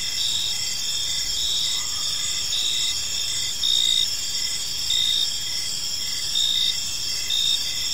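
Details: Evening park crickets: a continuous shrill insect chorus with short chirps repeating roughly every second, layered over higher steady trilling and faint low rumble.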